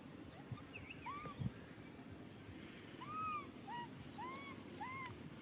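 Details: Nui Simon, a baby macaque, cries out for a hug with a run of short arched whistled wails, repeating roughly every half second in the second half, above constant low rumble and a high-pitched whine.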